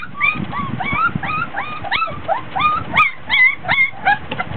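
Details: Three-week-old Border Collie pups in a whelping box, fussy and whiny from heat and tiredness while playing; dense run of thin, bent squeals and whimpers, several per second, some brighter yelps near the end, faint handling noises.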